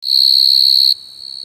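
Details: Coconut cricket crying: a shrill, high, steady whistling trill that swells in quickly, holds loud with a rapid flutter, then drops suddenly to a much fainter continuing tone.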